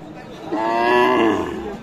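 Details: Cow at Aftabganj cattle market, Nawabganj, Dinajpur, where cows with calves are being sold, 14 January 2025: one drawn-out moo of about a second, rising then falling, full and harmonic, over a soft murmur of market voices.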